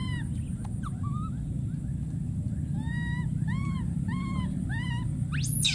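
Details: A wild baby monkey calls for his friend with repeated arched, whimpering calls that rise and fall, in a quick series, ending with a sudden shrill scream; a low continuous rumble lies underneath.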